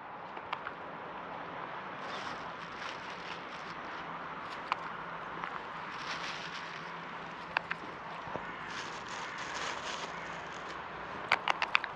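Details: Steady outdoor hiss with scattered clicks, crackles and footstep-like taps, with no clear animal calls.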